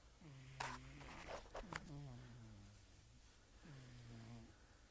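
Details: Queen the cat snoring loudly while asleep indoors: low, voiced, droning snores with a slightly falling tone, each about a second long, coming every one and a half to two seconds, with a few soft clicks and rustles between.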